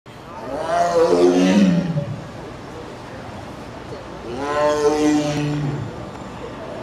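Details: A tiger at the Denver Zoo, Colorado, on August 24, 2012, gives two drawn-out, moaning meows, each rising then falling, a few seconds apart.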